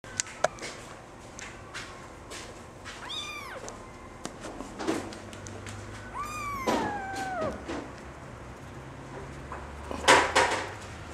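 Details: Female Singapura kitten, still small and nursing from its mother, born indoors to two CFA champion parents; two clear rising-then-falling meows a few seconds apart, with light clatter and a brief knock near the end.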